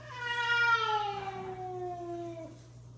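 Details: Domestic male cat scolding a female cat indoors: one long drawn-out wailing meow, starting higher and sliding steadily downward over about two and a half seconds, with a low steady hum in the background.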